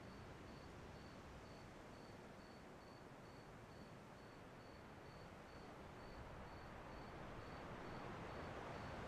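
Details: Cricket chirping over ocean waves: short, thin, high chirps repeated steadily about twice a second throughout, set against a constant low roar of surf and wind.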